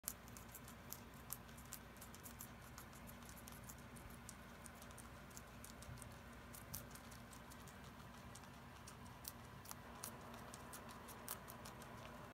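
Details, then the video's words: Guinea pigs eating celery: steady fine crunching and clicking of chewing throughout, with sharp crisp bites standing out every second or so over a constant low background hiss. "Guinea pigs eating celery"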